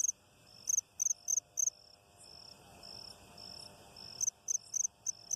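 An insect gives high, thin buzzy pulses in quick bursts, with a fainter steady tone between them.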